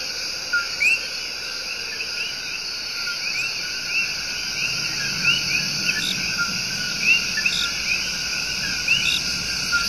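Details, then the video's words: In Puerto Rico's El Yunque Rainforest, coqui frogs serenade with paired notes, a flat tone then a rising chirp, scattered among several callers against a continuous high-pitched insect hum. "SOUNDS OF THE RAINFOREST---SERENADE OF THE COQUI"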